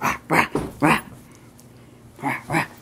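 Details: Dog playing with a husky toy, recorded 10/7/14, giving short sharp barks in a quick burst of four, a pause, then two more, with an owner talking playfully nearby.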